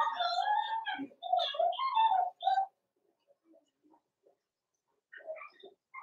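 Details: Daisy's Cavalier King Charles Spaniel puppies, four weeks old and together in an indoor pen, let out a run of high, wavering squeals and whimpers, then go quiet before a few softer whines near the end.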